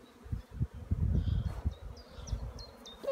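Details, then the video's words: Honey bees out flying at their hives in April sunshine after a long rainy spell; low buzzing hum rising and falling as bees pass close, with small bird chirps in the background. "W końcu ładna pogoda pszczoły latają"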